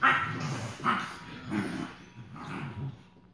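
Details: Foster Rhodesian Ridgeback puppies on their second day, giving a run of yipping, whimpering barks in four rough bursts about every 0.8 seconds, with low rumbling beneath and a faint steady hum in the background.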